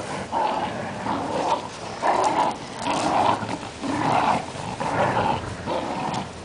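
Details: Growling in play between Rani, a stubborn little Fox Terrier, and Cookie, a playful Great Dane; steady series of rough growling pulses roughly every second, fairly even in loudness.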